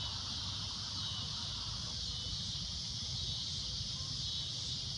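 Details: Loud shrill cicada drone at golden sunset, an unbroken high buzzing wash that never pauses, over faint low background rumble.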